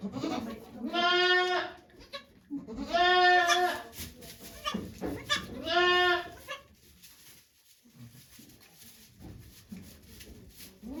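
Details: Doe goat Okayu giving birth to two kids at Yoshigake Farm, Japan, 3 May 2023; three strong, wavering bleats in the first seven seconds, then quiet with faint background noise.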